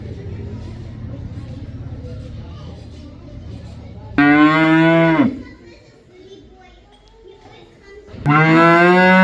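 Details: Cow mooing twice: low background rumble, then a loud moo of about one second falling away at the end, and another strong moo starting after a pause of roughly three seconds.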